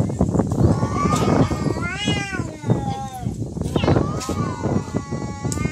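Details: Cats in a real fight, giving long wavering, drawn-out yowls that rise and fall in pitch, overlapping with one another, while people talk loudly throughout.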